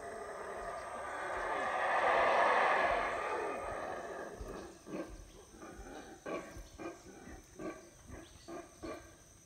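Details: Wild howler monkeys in the Belize jungle, heard near a lodge on a rainy morning as they begin their usual routine. A deep roaring swell builds and fades over about four seconds, then gives way to a rhythmic series of pulsed grunts.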